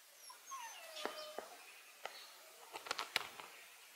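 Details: Canadian black wolves, a she-wolf feeding her pups, recorded 14 June 2024; thin high whines and squeaks, one long falling whine early, then scattered sharp clicks and squeals clustered near the end.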